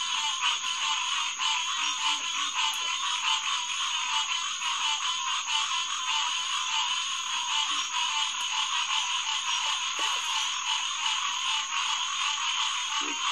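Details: Night chorus of many green tree frogs, Hyla cinerea, at SMNWR's Headquarters Pond, June 2, 2021, about 9:10 pm: a continuous thick wall of rapid, overlapping calls, a constant high whine on top, and occasional faint low notes.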